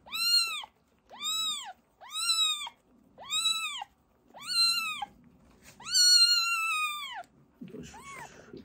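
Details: Emergency-fostered kitten siblings being toilet trained: six loud arched meows about a second apart, the last one drawn out longer, followed by a soft rustle and a quieter final mew.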